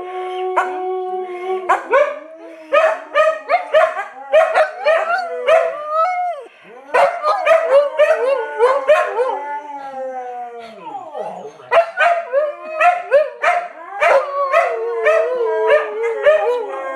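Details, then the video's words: Siberian Huskies howling as a pack, long drawn tones mixed with bursts of quick yips and barks, a falling howl sliding down midway, then more clustered yelps and wavering calls. "Siberian Huskies Howling!"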